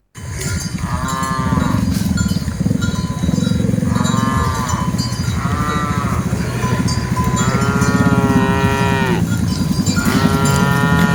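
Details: A herd of dozens of cattle on the move, with repeated short harmonic moos from several animals, rising and falling, spaced a few seconds apart. A loud, dense low-pitched rumble of movement continues throughout.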